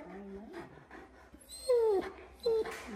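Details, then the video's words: Alaskan Malamute, a giant dog, chatting with staff at the vet's office: a low talking grumble, then two loud high whines sliding downward, with speech and music nearby. "Watch Him Chat With Everyone At The Office!"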